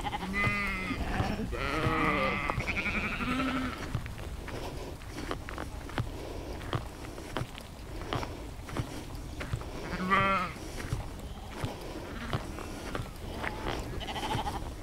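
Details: Sheep out in nature, captured in spatial audio on a Zoom H2n: several overlapping wavering bleats in the first few seconds, then quiet clicking and rustling, another bleat around ten seconds and a faint call near the end.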